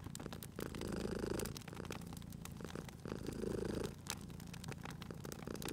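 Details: Purring sleeping cat near an open fire in spring ambience: two distinct rumbling purr swells about two seconds apart, separated by quieter pauses, with persistent woodfire crackling and popping over the top.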